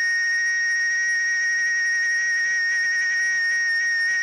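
A cicada sings a loud, unbroken, steady whine that holds one high pitch without pause.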